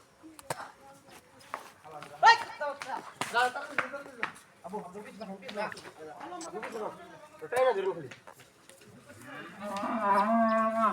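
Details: Domestic cattle at a family Qurbani, a cow breaking loose and running off before being caught: low drawn-out harmonic moos rising and falling, louder near the end, mixed with excited people talking and shouting nearby.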